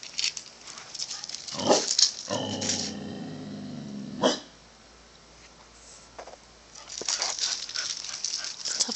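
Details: Corgi crying at pigeons it dislikes, a drawn-out tonal whine with stacked harmonics lasting about two seconds, framed by people talking and asking where the bird is.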